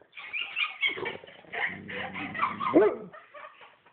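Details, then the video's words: Cutler, a pet dog roused from a snoring sleep, lets out a dense run of strained whimpers and yelping barks. The sounds are high and broken, climbing to one sharp yelp near the end before fading into softer whines. "Snoring dog wakes up barking!"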